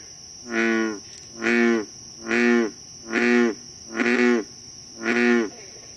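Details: Bullfrog chorus recorded at night in Moore's Swamp, Concord, Massachusetts, on July 28, 2013: six loud, resonant croaks, evenly spaced about one per second, each a low twangy note, with a constant shrill insect hum behind.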